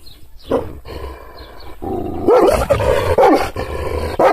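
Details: Kangal shepherd dog barking angrily after being provoked with hand gestures, not touched. Faint, muffled sounds in the first two seconds, then loud, harsh barks from the middle onward, each with a rising and falling tone, over a low steady rumble.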